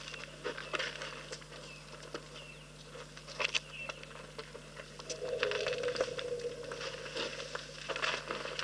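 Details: Elephants drinking at Rosie's Pan, with irregular wet slaps, splashes and patters of water and a soft gurgling swell midway.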